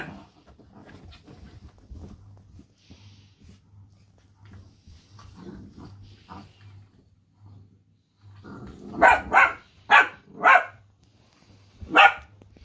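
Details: Two Dachshunds talk to each other during rough-and-tumble play, grumbling and growling softly, then breaking into a few sharp, loud barks.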